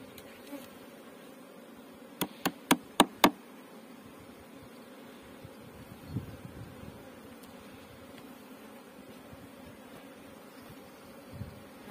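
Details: Honey bees on a Pakistani bee farm give a steady low droning hum, joined early by five sharp knocks in quick succession, then one softer knock and a few faint taps.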